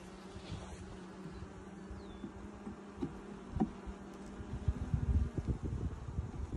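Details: Honey bees inside a hive opened for inspection six days after installing nucs in 2020, the workers drawing out new comb; a low steady drone beneath repeated thumps and rustling from handling the frames.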